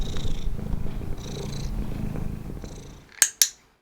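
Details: A domestic cat having its ears handled in reward-based training purrs steadily, a low rumbling vibration, followed by two sharp clicks from a training clicker.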